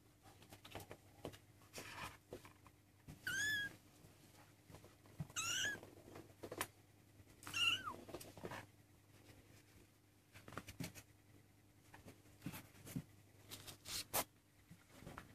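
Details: Maine Coon kittens, 23 days old, indoors: three thin, high-pitched mews at about two-second gaps, each a short wavering squeak, with soft clicks and light rustling between them.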